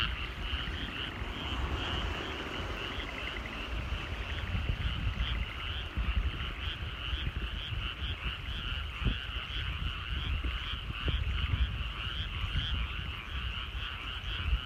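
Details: Frogs calling in rice paddies at sunset in the countryside: a dense, unbroken chorus of rapid pulsed croaks holding steady throughout, over a low rumble.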